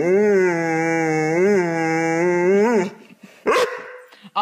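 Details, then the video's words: Pet dog 'talking' indoors: a drawn-out, tonal, howl-like vocalisation with rich harmonics, wavering up and down for about three seconds, then brief human speech and a short higher yelp. "หมาพูดได้ ดูไปมึนไป Funny Dog Talking"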